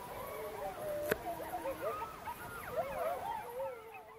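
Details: Gray wolves in the Apuan Alps park, Italy, 2014, howl together in a wavering, rising and falling chorus; pups answering played-back recorded calls first confirmed breeding there.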